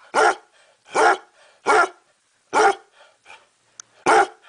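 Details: A pet dog barks five times, loud and full-bodied, spaced a little under a second apart, with faint softer huffs between barks and one brief click.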